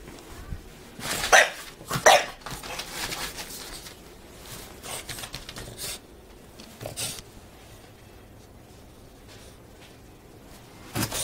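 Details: A French Bulldog does a crazy happy-feet dance at a door. Two sharp, short yelps come close together near the start, followed by quieter shuffling, a single weaker yelp midway and another abrupt burst at the end.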